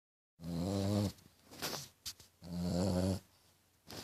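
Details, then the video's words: French Bulldog snoring indoors, with a snore likened to a little pig: two long, rasping, low-pitched snores with harmonic buzz, separated by softer breathing and small clicks. "Bulldog francês roncando!!"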